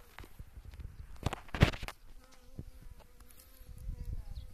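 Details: Honey bees foraging on blooming wild mustard (Sinapis alba, yellow mustard) after early spring rains; after loud rustling and handling thumps, a steady low wing buzz with faint overtones hums through the second half.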